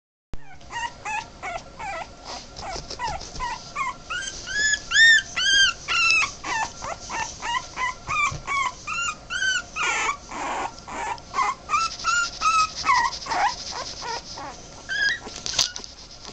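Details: A 2.5-week-old male Boston Terrier puppy gives rapid, high, squeaky whimpers, each rising then falling in pitch.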